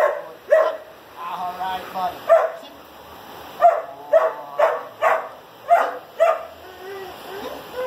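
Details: German Shepherd, a year and a half old, after four weeks of obedience training, giving sharp barks in irregular bursts, about eight over several seconds, with a person talking between them.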